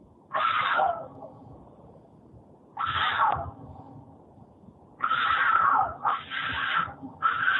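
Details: A cougar described as horny, its recording replayed in a room, gives short rasping yowls, each under a second, spaced a few seconds apart and then coming closer together in a run of three near the end.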